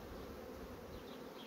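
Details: Bees of fast-growing honey bee colonies working new comb foundation produce an even, thick, unbroken hum with no clear pauses.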